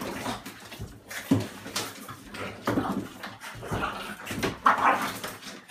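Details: French Bulldog, 35 lb, wrestling indoors with a 25 lb female dog; loud, choppy growls and snorts in short bursts, with a higher whine near the end.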